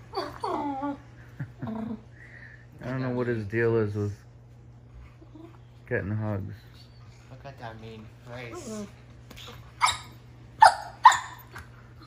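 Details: A 10-month-old male German Shepherd groans and whines in long, rising-and-falling Chewbacca-like moans while play fighting, with a person talking.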